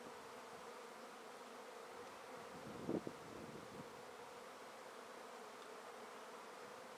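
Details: Swarm of honey bees collected from a tree into a swarm basket; a constant droning buzz of many bees, interrupted by one brief rustling bump near the middle.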